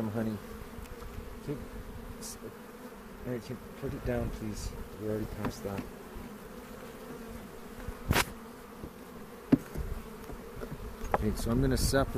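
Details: Honey bees humming during the second hive inspection of the 2018 season on April 27, in a foothills bee yard near Cochrane, filmed with a 360 camera; a steady low drone with scattered clicks and brief voices.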